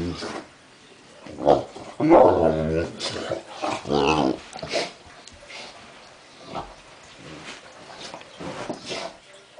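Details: On his first birthday, one-year-old English Mastiff Duff, bothered by medication for a mild ear infection, rolls on an indoor floor trying to get it out; deep, throaty moaning grumbles rise in several short bursts, with scuffling noises between.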